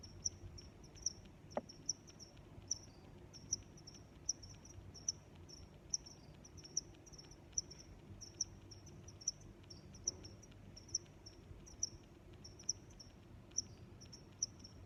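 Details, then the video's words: Crickets chirping steadily, rhythmic high-pitched pulses repeating just under once per second with softer chirps of other crickets in between, a brief click near the start, and low background noise. "Sounds of Crickets"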